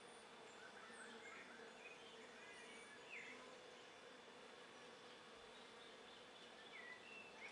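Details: Strange darker honey bees land on and walk into a vacant nuc-sized top bar hive around late afternoon, 24 °C, producing an even, low humming buzz with occasional distant bird notes.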